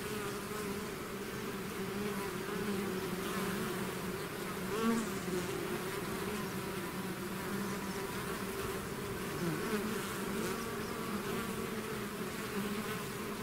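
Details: A swarm of bees pouring out of its hive: constant layered buzzing, even in loudness, with one close bee rising briefly near the middle.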